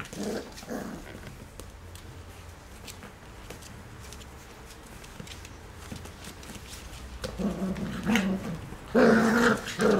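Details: Three black Cocker Spaniel puppies at play. Mostly quiet rustling and shuffling at first, then louder whining growls break out in the last two seconds.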